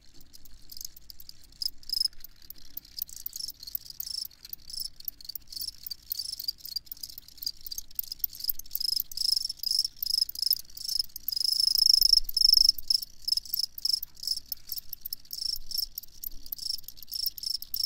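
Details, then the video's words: Chorus of crickets giving rapid, high, ringing chirps in quick bursts, one shrill tone louder around the middle, over an otherwise quiet background. "Crickets Chirping"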